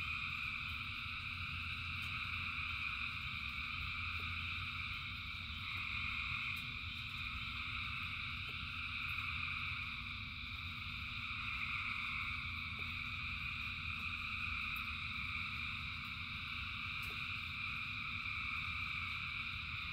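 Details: Thousands of frogs calling together in rain form a dense, unbroken chorus of layered trilling tones at several pitches, with no single caller standing out, over a soft low rumble throughout.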